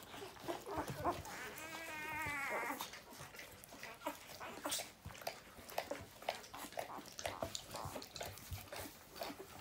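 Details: Newborn puppies indoors give one wavering whine around the second second, then the rest is soft rustling, shuffling and scattered small squeaks.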